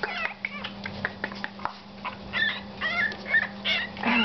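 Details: Litter of seven-week-old Yorkshire Terrier puppies, four males and one female, giving rapid high yips and quavering whines that overlap one another, over a constant low electrical hum.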